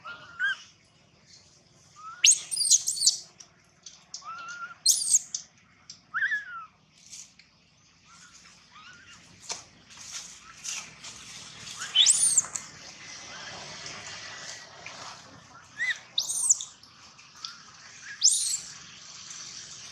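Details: Baby monkey named Gino crying loudly: shrill, high squealing cries come in bursts every second or two, some rising and breaking, with softer whimpers and faint rustling between them.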